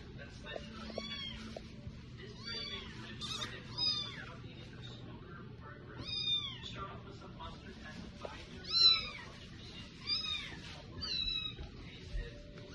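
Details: Cat meowing again and again, high arched calls that rise and fall, about one every second or two with brief gaps, over a faint low hum and soft background noise.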